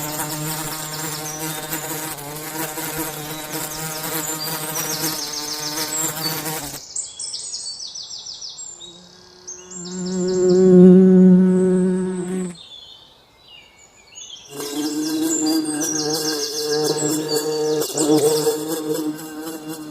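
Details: Forest bees at work making honey: a loud continuous buzzing drone that drops away, swells close and strong as one bee passes near, fades, then returns as a dense steady hum.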